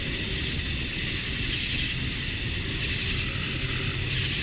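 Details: Male cicadas calling to attract females at dusk on a summer night in Georgia, USA, forming a dense, unbroken high shimmering drone topped by a thin ringing whine, steady in loudness throughout, with a soft low rumble underneath.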